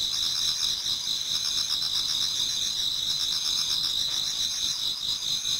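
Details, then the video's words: Many insects in a Japanese garden in autumn, singing as dawn approaches; shrill overlapping trills form an unbroken high ringing wall with a soft rapid pulse, no other sounds standing out. "Autumn Insects voice Towards dawn"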